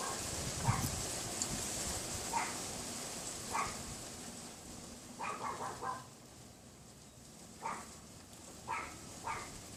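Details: Windy February afternoon, 2015, about 3:18 PM: a neighbour's unseen Pomeranian behind a wooden fence gives short yaps, singly and in brief pairs or triplets, spaced irregularly over persistent wind hiss.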